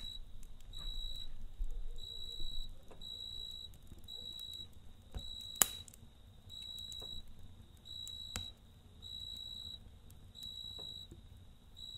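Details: Night-time cricket by a campfire giving a regular train of bright, clipped chirps roughly once per second, one sharp fire pop near the middle, soft crackling and low background rumble throughout.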